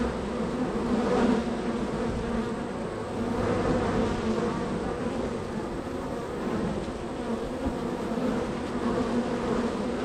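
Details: Honey bees at a hive in a row of hives, extremely active with many entries and departures; a dense, steady droning hum with layered harmonic bands, slightly swelling and fading over ten seconds.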